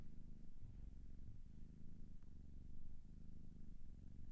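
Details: Quiet, low cat purr, a gentle pulsing rumble with breath cycles under a second apart, slightly uneven in loudness.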